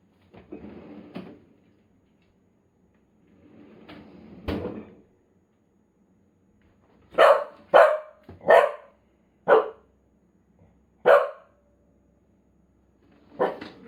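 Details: Corgi at home barking whenever the middle freezer drawer of the fridge is opened; after soft rustling and handling noises, six loud, abrupt barks come in a quick irregular run, with one more at the end.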